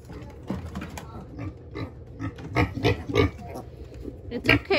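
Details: Pet pigs indoors: a sow comes running into the house to her piglet, whose leg was caught in the enclosure rails. Rapid low grunts, about three per second, over a woman's soothing talk and rustling.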